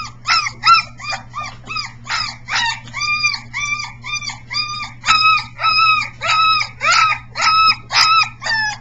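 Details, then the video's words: Briard litter at three weeks old, one pup notably vocal, practising its siren howl, July 2009. Dense repeated high yelps give way to evenly spaced, arched whining cries about twice per second, accompanied by a continuous low mains hum. "Briard 7 siren practice"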